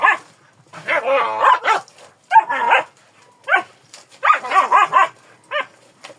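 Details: Kangal barking in high, ringing yelps, a long wavering bark first, then shorter sharp barks in quick pairs and triplets with brief pauses between.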